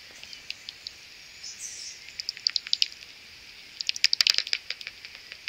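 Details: Some 70 common pipistrelle bats swarming near their maternity roost in the early morning before sunrise. Dry, rapid ticking clicks come in scattered bursts, thickening into a dense crackling cluster near the end.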